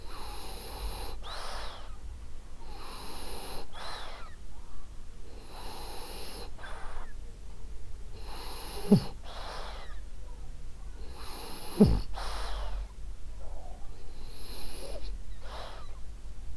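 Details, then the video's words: Snores from French Bulldog Ariva, a sleeping female, come as about twenty wheezy breaths a minute, airy rasps with two sharper snorting catches midway, otherwise quiet and steady. "Cute Snoring French Bulldog"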